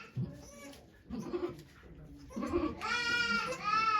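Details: At Yoshigake Farm in Japan, during goat Okayu's birth of two kids on 3 May 2023, low voices give way to a sustained, trembling goat bleat lasting over a second, with a brief pause inside it.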